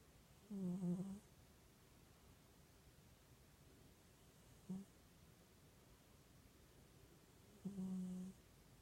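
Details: Sleeping domestic cat gently snoring in the sun: three low, buzzy, droning snores, one long, one very brief, one long, spaced about three seconds apart, over a soft steady hiss indoors.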